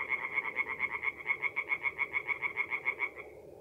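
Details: Tree frog singing at night by a forest pond in north-east Italy in mid-April: a rapid series of nasal pulsed notes, about two per second, steady for three seconds then stopping, with faint low background murmur.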